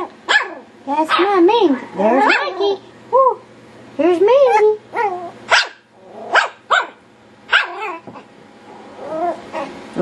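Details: Playful Yorkshire Terrier puppies going wild, giving bursts of sharp, high yelping barks in quick clusters, some with a falling whine, over ten seconds, while a person talks over them.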